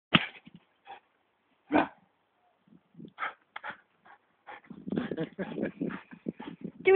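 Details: Male Greyhound chasing his tail in a garden: sharp single barks near the start and just before two seconds, then a dense run of whining, yelping bursts, with a person speaking nearby.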